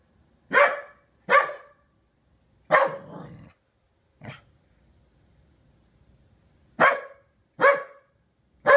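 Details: A corgi, unhappy about a new sailboat kite, barks at it in sharp, loud pairs, pausing between bursts.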